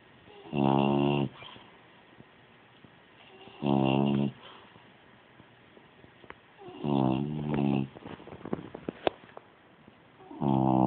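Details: French bulldog snoring indoors: deep, rasping, buzzy snores lasting about half a second each, repeating roughly every three seconds, with small clicks and rustles between breaths.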